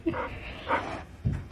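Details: Pet dog from a compilation of funny dog moments. Two short harmonic whining cries, each about a fifth of a second, with a low thump near the end. Faint room noise throughout.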